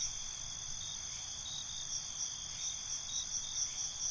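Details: Night crickets make a continuous high, ringing drone with soft, rapid pulsing swells throughout, and a faint low rumble underneath.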